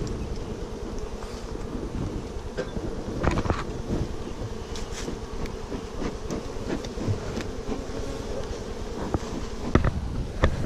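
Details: Honey bees at their hives during honey harvesting on Big Island, Hawaii, making a steady, low droning hum throughout, with scattered sharp knocks and clicks from handling of the hive.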